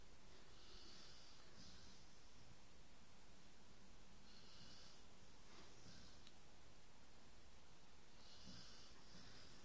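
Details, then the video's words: Dog snoring indoors: soft, hissy breaths with a wheezy edge, recurring roughly every four seconds over a low, steady room hum. "Snoring dog"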